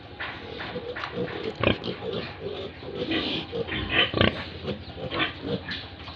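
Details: Farm pigs in Tripura, India, giving repeated short grunts and snorts, a couple of louder sharp calls standing out amid the steady chatter of the group.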